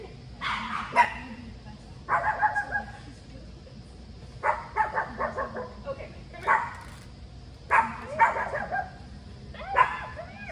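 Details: Bella, a Chihuahua on her first visit to the agility ring at a training facility, where she dislikes people watching; short sharp barks in bursts of one to three, roughly every one to two seconds, with quiet room background between.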